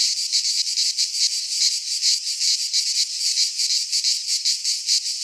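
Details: High, insistent buzzing of cicadas singing in midsummer in a Greek pine forest, throbbing in quick waves about two to three per second, the only sound present.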